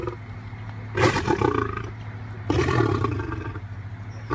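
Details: Lion kept at a big cat rescue giving two harsh, grating growls, each lasting roughly a second and a half, the second starting about a second after the first ends, with a low steady hum underneath.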